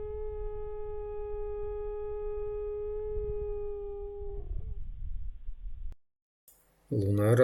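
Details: Grey wolf howl at night by a watermelon field in Krasnodar Krai, Russia, pack of eight near a hunter's hide; one long steady level howl lasting about four and a half seconds, then silence and a burst of human speech.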